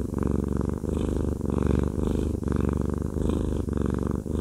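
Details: Close, low purring of Haku, a fluffy male cat being massaged; the rumble rises and falls with each breath in short cycles, steady and uninterrupted.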